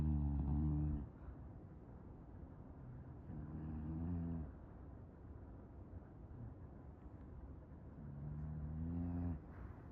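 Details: English Bulldog sound asleep, snoring in a slow steady rhythm: three deep, buzzing, harmonic rumbles about four seconds apart, each lasting roughly a second, with soft breathing between.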